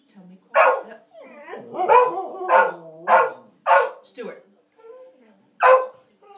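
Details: Two pet dogs barking and yowling while playing, a series of loud harmonic barks roughly every half second with some drawn-out whining tones between, and a person quietly telling a dog to be quiet in the background.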